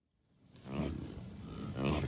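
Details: Low, rough grunting from a wild American bison herd of cows, a few bulls and dozens of calves at Rocky Mountain Arsenal Wildlife Refuge, Commerce City, Colorado, on June 2, 2022; two drawn-out throaty calls rise from a quiet start, wind in background.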